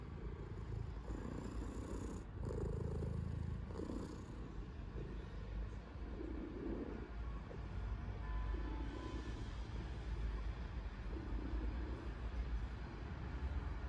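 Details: Loud, deep purring from a house cat busily kneading a blanket; the rumble rises and falls in repeated breath-paced waves every couple of seconds, with a soft rustle early on.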